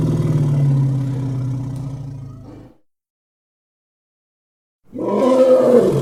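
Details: Elephant calling with a low, droning harmonic rumble for over two seconds, then a pause of silence, followed by the start of a louder, harsher roar.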